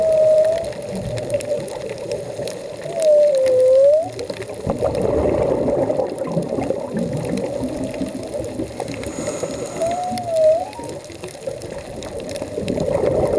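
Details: Humpback whale song recorded underwater while diving off Puerto Vallarta: mid-pitched tonal moans that dip and rise, spaced several seconds apart over rushing water noise.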